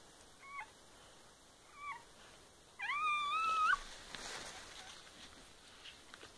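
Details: Kittens from a litter born on 13 May 2015, heard on the day of birth: two brief squeaky mews, then a longer drawn-out cry that rises and holds steady for nearly a second, against a quiet indoor background.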